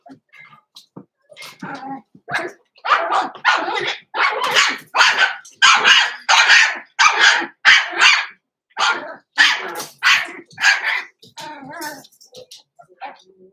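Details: Six-week-old Blenheim Cavalier King Charles Spaniel puppies, Roman and Blue, in an indoor puppy pen, bark in a fast run of sharp, high, noisy yaps, about one and a half per second, with a few short gaps and fainter yips.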